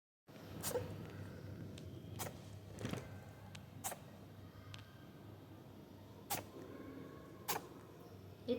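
A rabbit sneezes repeatedly: short, sharp, puffing bursts scattered every second or two over a low indoor hum.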